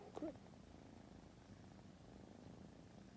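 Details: Female tortoiseshell kitten, a rescued cat born August 2020, purring: a low, steady continuous rumble throughout, with a brief faint voice at the start.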